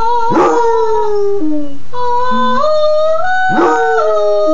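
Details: Singing Basset Hound Sport howls with his owner's mom: two yelping starts, each sliding into a long falling howl, alternating with a woman's steady rising sung notes.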